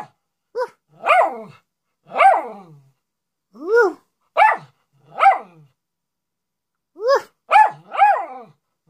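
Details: A Miniature Schnauzer "talks" to its owner like a parrot, giving a string of short, tuneful howling barks that rise and fall, seeking attention.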